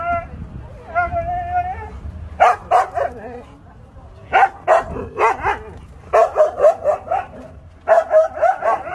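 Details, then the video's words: Husky vocalising in a sound-effect recording, Siberian Husky: a brief whining tone opens, then quick clusters of two to four yappy barks in bursts, fairly steady background hum throughout. "Siberian Husky Barking Sound Effect (SFX). Husky Bark on Full Volume"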